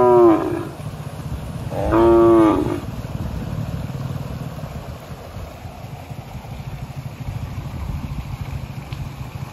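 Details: Cattle with a calf drinking its mother's milk: two short, deep moos with rich harmonics about two seconds apart at the start, then a steady low background hum.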